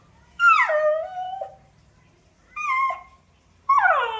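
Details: Puppy giving three high whining cries that drop sharply then level off, the first long and sliding down, the last starting high and falling, with quiet gaps between them in a small indoor space.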